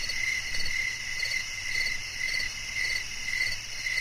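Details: Steady cricket song meant to soothe listeners to sleep. Sharp, high chirps sound in evenly spaced bursts close to twice each second, with a whining insect hiss above and a low murmur beneath.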